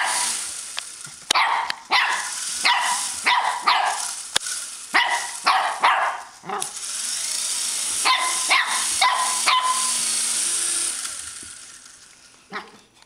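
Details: Shih Tzu puppy playing with an RC helicopter: a run of short, sharp, high yips and barks in quick irregular bursts, with the steady broadband whir of the helicopter's rotor running through much of the recording.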